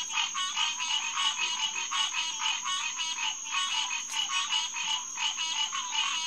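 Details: A June night chorus of green tree frogs, Hyla cinerea, at Headquarters Pond in SMNWR, 2021: a continuous mass of quick, clanking, nasal calls overlapping with no pauses, a thin steady high insect-like whine above.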